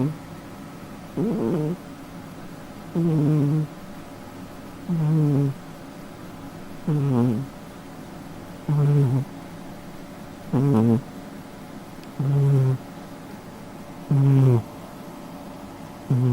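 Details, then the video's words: Domestic cat snoring while asleep: nine rhythmic, harmonic snores with a rising-then-falling tone, one roughly every two seconds, each separated by quiet breathing over a faint steady low hum. "наша кошка храпит во сне"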